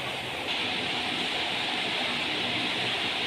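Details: Loud continuous rushing broadband noise, like running water or a passing train, fills the whole moment with no animal voice.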